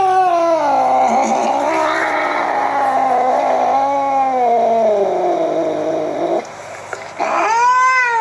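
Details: Furious domestic cat giving one long, drawn-out, wavering yowl that rises and falls slowly for about six seconds, then breaks off and restarts with a sharp rising wail.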